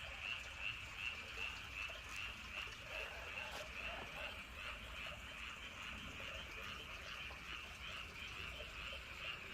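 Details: Frog chorus on a night with wind in Andong, near Woryeonggyo Bridge and Hahoe Village: rapid, high pulsed croaks stand out for the first four seconds, then blur into a softer continuous chorus over gusty low rumble.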